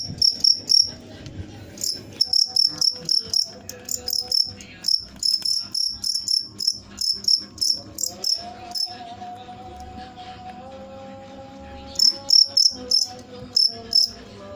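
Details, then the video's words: Cricket giving long runs of sharp, high, pulsed chirps, rapidly repeated, pausing in the middle, with a soft tonal hum in the background. "suara jangkrik mantap"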